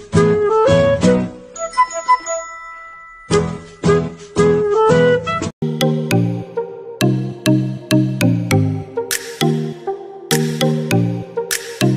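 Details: Bright, tinkling children's music with chime-like notes and a bouncing rhythm, and no animal sounds.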